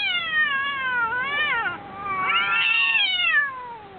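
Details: Two cats in a fight give loud, drawn-out caterwauls, long sliding wails that dip and then climb again in two main bursts, rich in harmonics, with a short quieter gap between them.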